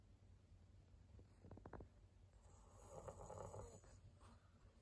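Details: Sleeping senior pug Maria, a fawn female aged 11 in Japan, 17 April 2022: soft, irregular snuffling snores, a cluster of short rasping pulses, then a longer, noisier rattling breath in a quiet room.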